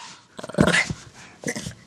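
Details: Female pet dog aged six, playing, making a rough, noisy growl that breaks into a bark, followed by a second shorter throaty burst.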